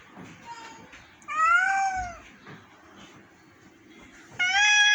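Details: A very sick pet cat meows twice, a long bending cry and then a sharp, bright one near the end, with quiet talk and room noise between the two calls.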